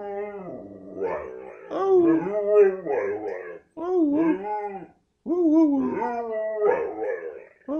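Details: A 9-year-old male Carolina Dog howls in wavering, yodel-like bursts that rise and fall in pitch, prompted to talk.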